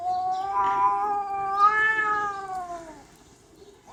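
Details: Domestic cat giving one long, loud, drawn-out yowling meow lasting about three seconds, steady then slowly falling at the end, with a brief sharp rising sound right at the close.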